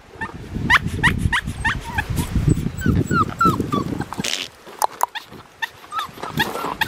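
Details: Male blue merle Australian Shepherd puppy, 4.5 weeks old, at a breeding farm in Tallala, Oklahoma, on September 27, 2021: rapid, high whimpering yips repeated in quick bursts, some rising and falling, over soft handling noises and a woman's voice.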